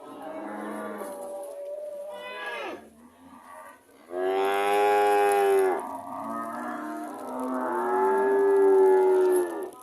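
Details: Cow (Bos taurus), moo.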